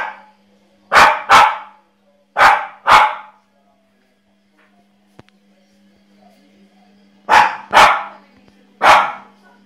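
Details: Energetic Jack Russell Terrier barking in quick pairs and triplets, sharp loud yaps in bursts separated by a few seconds of quiet over a faint steady hum.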